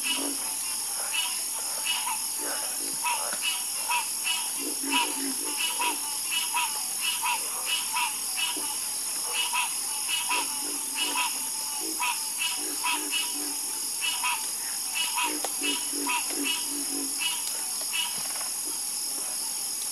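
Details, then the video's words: Frogs croak in a busy chorus, with many overlapping short raspy notes and deeper clucks packed closely together, nearly continuous across the stretch, set against an unbroken high, shrill background buzz. "Calming Sound Of Harmonious Frog Croaking"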